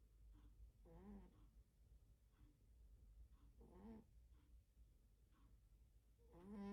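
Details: A sleeping cat snoring loudly indoors: soft, breathy snores with a throaty rattle, spaced a few seconds apart, over a low steady background hum.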